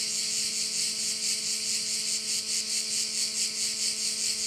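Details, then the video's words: Insect chorus of crickets by a bay in Korčula: a continuous high-pitched rasping drone that swells and fades rhythmically a little over twice per second, over a quiet constant low hum. "view of one of the bays in Korcula with sounds of crickets"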